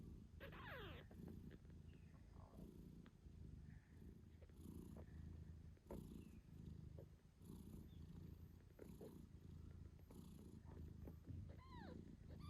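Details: Low, rhythmic purring of a British Shorthair mother nursing her kittens 8 days after birth, with brief faint kitten squeaks near the start and end and soft rustling.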